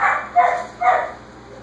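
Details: A whippet gives three quick, sharp barks in the background to tell its owner it has finished dinner, while 6-week-old Basenji puppies play.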